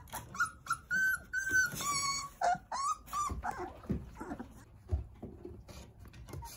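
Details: Nine toddling Jindo puppies playing in the care of their mother Sarang; high, tonal whines repeat in quick succession, some rising and some falling, bright and clear with overtones, then give way to softer whimpers and low rustling.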